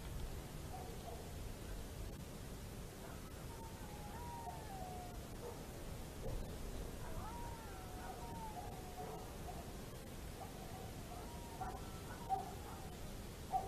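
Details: Several wolves in Estonia on 27 December 2017, heard howling softly at a distance: thin, wavy tones that slide up and down, with overlapping voices growing busier toward the end under persistent background noise.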